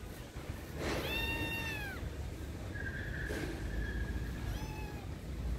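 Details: Frightened feral kitten exploring a backyard garden with its mother nearby gives a clear falling meow, then a long flat higher cry and a shorter final meow, with steady low traffic-like hum underneath.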